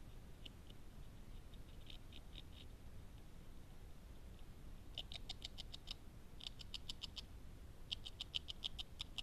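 A beaver chews in short runs of rapid, crisp scraping strokes, several bites a second, with brief pauses between runs. A steady low rumble of background noise sits beneath the gnawing.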